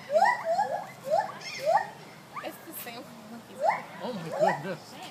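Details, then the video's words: Gibbon song at Sacramento Zoo: a series of rising, swooping hoots repeated in quick bursts. "Gibbons song"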